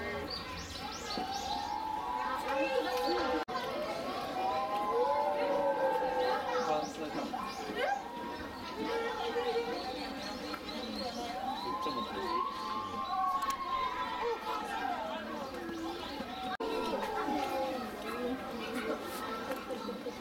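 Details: A group of Chinese wolves kept at Tennoji Zoo raise arching, drawn-out howls that rise and fall across twenty seconds, voices weaving over one another, while a chattering crowd of zoo visitors and children talks in the background.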